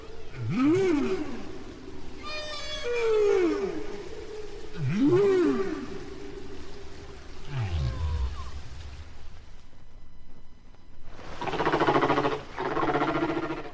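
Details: Humpback whale song near Bermuda, taped five years after an earlier one, the shared song having changed: arched swooping moans and rising whoops, then a deep rumbling groan and loud harsh broadband bursts near the end.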